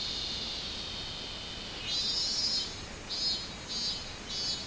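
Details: Robust cicada recorded on 24 July 2016, a steady high buzzing hum that breaks into loud pulsed bursts after about two seconds, repeated roughly every half second over a constant high background drone.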